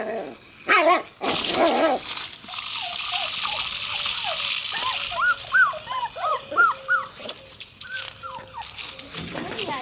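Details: Five six-week-old Jack Russell Terrier puppies attack a remote-control robot cobra, giving rapid, high, arching yips and whines over a steady hissing, whirring noise.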